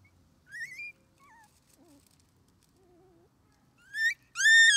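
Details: Red male Shiba Inu pup, three weeks old, born 24 January 2021, outdoors with its mother: short squeaky whimpers, a few soft low wavering moans, then loud rising yelping whines at the end.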